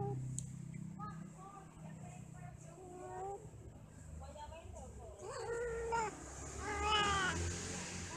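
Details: Domestic cats mating and quarrelling: a series of drawn-out, wavering yowls with rising and falling pitch, growing louder and harsher toward the end, over a steady background hum.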